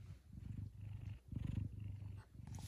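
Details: A big male F2 Savannah cat purring one morning indoors, pleased about chicken leftovers. Deep, continuous rumbling purr in rapid pulses, breaking twice for a breath with short pauses, then resuming just as strongly.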